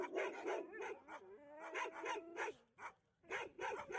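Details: At a Harbin, China rescue station sheltering more than 3000 stray dogs, an Alaskan Malamute sings a greeting to a visitor: a sustained, level howl of about a second, framed by loud overlapping barks from other dogs.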